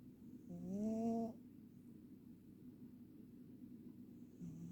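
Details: Ragdoll cat snoring: a single drawn-out breath of about 0.8 seconds with a low, slightly rising buzzy tone and stacked harmonics, then quiet room hiss until a fainter breath begins at the end.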